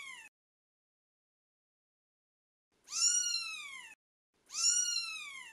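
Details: Twelve-day-old British Shorthair kitten calling with two full, piercing meows that slide gently downward after the tail of an earlier cry, with long silent gaps between them.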